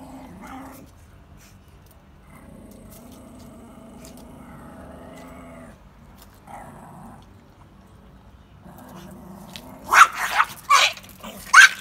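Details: Two Pekingese dogs fighting growl in low, rumbling bouts, then break into sharp snarling barks near the end.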